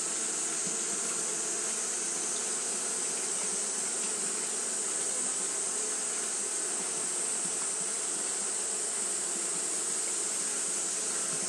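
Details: On a hot day, Japanese honey bees keep up their fanning, a thick steady drone of many wings with rough low humming bands and a continuous high-pitched hiss over everything.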